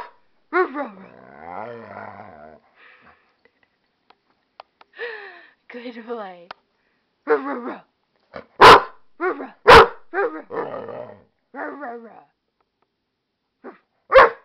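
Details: Amstaff and pit bull mix Wolf talking back to its owner: drawn-out wavering groans and whines, then a run of loud sharp barks near the middle, more grumbling yowls, and a final bark; speech faintly present.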